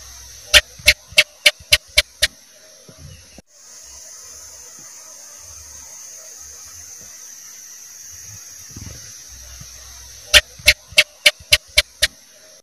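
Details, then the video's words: Cicak, the house gecko, sounds a rapid run of seven loud clicking chirps, then after a long hissy pause with faint low thumps, a second series of seven evenly spaced chak-like clicks. "Suara CICAK"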